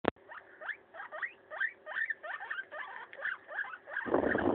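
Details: Maso, a pet guinea pig, eating a leaf: a steady run of short, rising squeaks, roughly three per second, ending in a sudden loud rustling burst.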